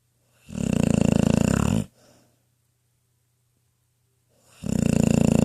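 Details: Trauma, a 10-year-old female pit bull, snores while dreaming in her cozy bed indoors: a long rasping, rattling inhaled snore of over a second, a pause of nearly three seconds, then the next snore beginning.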